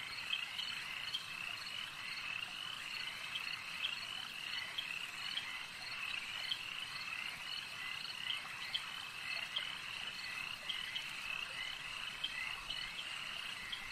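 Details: Steady chorus of frogs at a lake over a long stretch, dense rattling croaks overlapping without pause, with regularly recurring sharper calls standing out against the continuous buzz.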